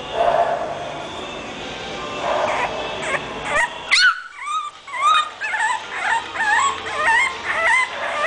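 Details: English bulldog puppy giving a burst of squeaky yips, each note a quick upward-bending whine, repeated about twice a second after a noisy opening, with a faint hum in the background.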